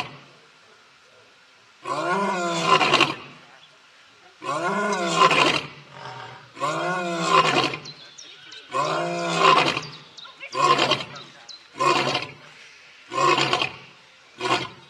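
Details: Lion roar bout: a few full, rough roars spaced several seconds apart, then shorter grunting roars coming faster and fading toward the close, with a thin steady hum behind.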